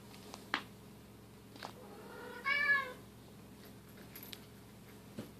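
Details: Bengal cat indoors during family play, silver kitten Keylala with sister Luna and mother Xia; a single clear harmonic meow about half a second long, rising then falling, amid soft thumps and rustles of play.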